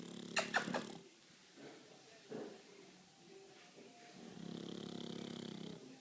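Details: A male pet pug snoring in his sleep: a few sharp clicks and soft rustles come first, then a quiet pause, then a steady rasping snore builds near the end.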